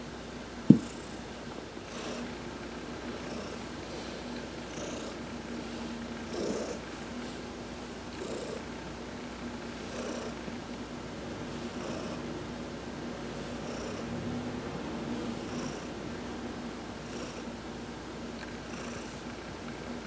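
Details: Adopted cat Heidi purring under a massage while sunbathing, November 19, 2020; a continuous soft, low rumble pulsing in slow breath cycles, with one sharp tap right at the start.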